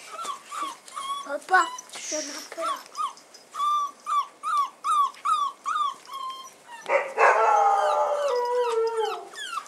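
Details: Bull Terrier puppies on their first outing, 18 January 2015: a run of short, high whimpering squeaks about two or three per second, then a longer drawn-out whining yelp that slides downward near the end.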